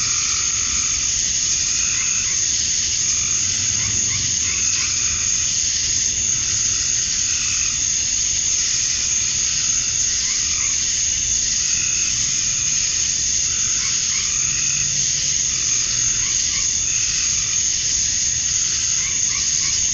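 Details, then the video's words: Male cicadas droning on a summer evening at dusk in Georgia, USA, to attract females; the high continuous shrill band runs throughout while lower trilling and croaking-like calls from other creatures come and go. "Cicadas at Dusk, Summer Night"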